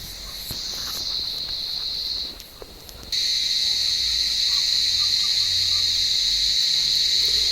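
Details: Warm-evening cicadas calling in an olive tree as cats hunt them: a shrill, droning buzz fades briefly, stops, then returns suddenly louder and stays steady, with a few soft knocks early on.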